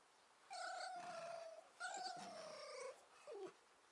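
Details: Two captive foxes rescued from a fur farm, playing together after a hot summer day: three drawn-out whining calls, each sliding slightly downward, the last one short and squeaky, in a quiet room.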